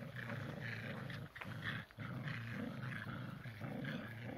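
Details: Tricolour Shetland Sheepdogs locked in a playful tug of war, giving a steady low rolling growl that runs almost continuously, broken by two brief pauses, with a rougher edge on top.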